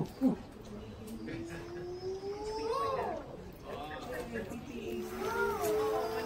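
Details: Father and mother siamang duetting at the Los Angeles Zoo: a long drawn-out note climbs slowly, then bends up into a sharp whoop, followed by looping wavering calls, with visitors talking in the background.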